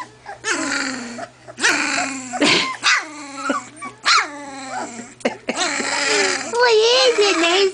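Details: Two-week-old collie puppies that have discovered each other, one female puppy trying out her voice: a run of high, wavering whines and squeals with bending pitch, in bursts of about a second with brief gaps, plus a person's soft talk.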